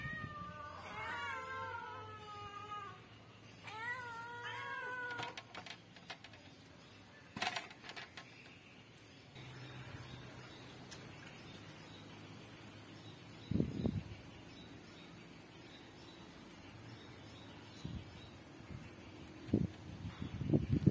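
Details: Domestic cat shown in a review of Midalac goat's milk for cats and kittens: two drawn-out, wavering meows early on, then quieter rustling and a few soft knocks and clicks.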